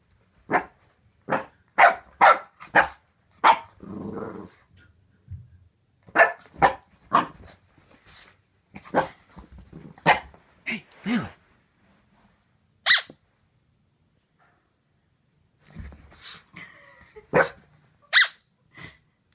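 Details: Boxer puppy Layla, indoors, suspicious of her new squeaky toy and trying to intimidate it: a run of sharp, clipped barks in quick bursts, a low rumbling growl near the four-second mark, more scattered barks later, with a woman speaking softly between them.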